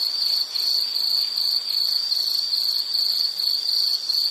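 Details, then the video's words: High, piercing insect trill broken into short chirp groups about every half second, continuous and even, part of a soothing nature-sound recording. "Nature Sound of nature sounds scenery L · insect"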